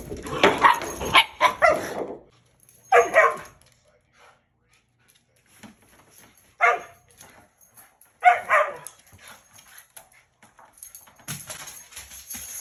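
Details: Play barking between a Shiba Inu and a husky on a bed: a burst of rapid harsh barks, then single sharp barks spaced a few seconds apart with quiet gaps between.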